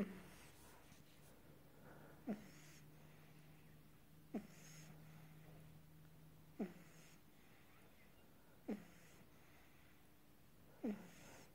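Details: Pug puppy asleep, breathing softly with a snuffly, snore-like catch about every two seconds, five even breaths in a quiet indoor room.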